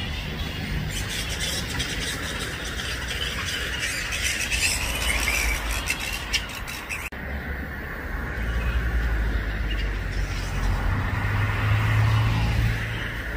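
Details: Roosting grey-headed flying foxes, over 5000 of them, in suburban Balgowlah near Manly, Sydney, Australia, about 1 PM: a constant mass of shrill squeals and squawks rising and falling, with low background rumble and a brief break midway.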